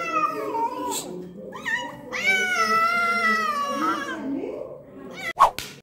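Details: Wounded domestic cat meowing: a short falling meow, a brief second cry, then a long drawn-out wavering meow lasting about two seconds, ending with a sharp click; a person's voice is heard nearby.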